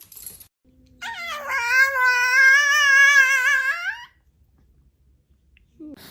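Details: A Chihuahua lets out one drawn-out, wavering howl that lasts about three seconds. Its pitch dips and rises slightly before it cuts off, and the rest of the clip is quiet indoors.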